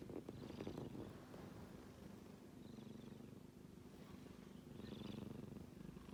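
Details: Sleeping kitten snores with a soft low rumbling pulse, breaths swelling at the start and again around five seconds, in a quiet room.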